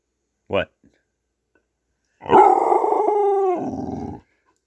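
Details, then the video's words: Pet dog getting vocal during play indoors: a short sharp yelp, then a sustained, tonal, moaning growl lasting about two seconds and sliding lower at the end. "Watch This Dog Get HILARIOUSLY Vocal While Playing"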